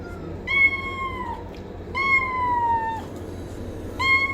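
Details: Domestic cat repeating a steady, whining meow about every two seconds, three cries in all. Each one is long and tonal and sags gently downward at the end, against a quiet hiss.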